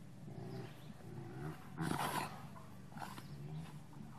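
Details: Two Rottweilers, a big one in a truck and a younger one joining in, growl during play fighting: low, rough rumbling pulses with a louder snarling burst near the middle, then softer grumbles.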